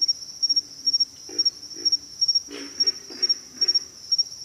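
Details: Pig frogs giving low, hoarse grunts, some single and some in quick pairs, spaced irregularly about every half second, over a steady, high-pitched pulsing insect chorus.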